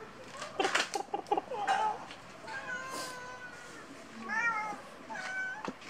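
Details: Cat indoors making several meows, some short and chirping, others longer and wavering, with soft knocking sounds early on.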